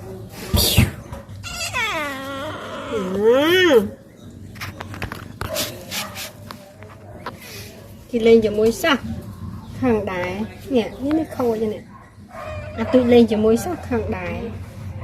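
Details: Pet cats at home while a woman plays with them; several drawn-out, wavering meows rise and fall in pitch in separate bouts, with a person talking in between.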